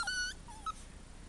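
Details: Husky puppies from a litter, giving brief high whimpering squeals: one thin whistled cry near the start, then two short softer whines, with a woman speaking Bulgarian nearby.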